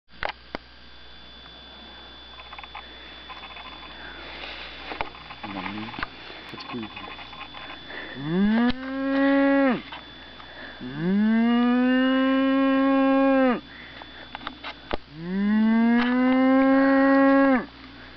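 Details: Cow answering calls with three long, loud moos, each rising sharply, then held as a steady drawn-out low bellow of two to three seconds, after quieter short sounds and background hum.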